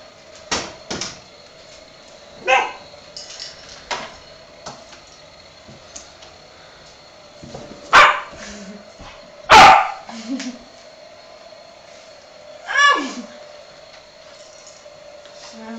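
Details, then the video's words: Several dogs, a Staffordshire pup, a Shiba and a chihuahua, react excitedly to a hair dryer indoors; scattered sharp barks and yips at irregular intervals, a few louder bursts near eight and ten seconds, with a steady hum behind. "Boy am stafford pup en Shiba, chihuahua gaan los op de feun"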